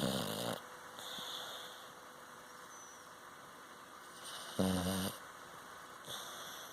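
A sleeping Cocker Spaniel snores in rough, rasping breaths with long quiet gaps between them.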